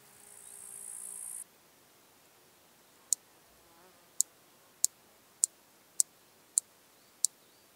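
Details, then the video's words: Large marsh grasshopper (Stethophyma grossum) song, recorded in Elsbethen, Austria on 26 Sep 2021: a series of sharp, dry ticks spaced a little over half a second apart. "Stethophyma grossum -- Sumpfschrecke -- Large Marsh Grasshopper"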